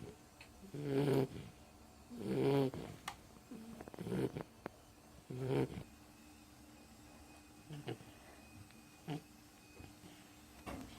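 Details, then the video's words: Pet Beagle asleep and snoring: several loud, rough snores early on, spaced about a second and a half apart, then softer breaths and faint clicks as the snoring fades. "My Beagle snoring"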